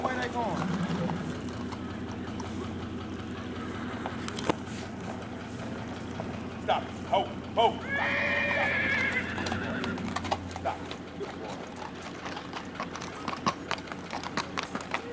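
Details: Black Tennessee Walking Horse gelding ridden at Big Money Stables in Texas gives a brief whinny of about a second and a half, a harmonic call over steady hoofbeats, with people talking nearby.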